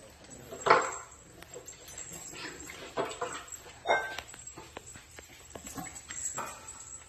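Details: French Bulldog puppies at play after eating, indoors at a breeder's house in Texas; short high yips and squeals at about 0.7, 4 and 6 seconds over faint rustling and room noise.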